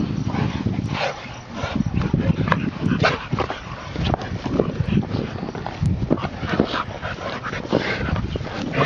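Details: Bully-style dogs, a pack of five from puppy to two-year-old, play basketball, giving dense, throaty barks and scuffling grunts in close succession, loud and low-pitched, with a human voice faintly mixed in.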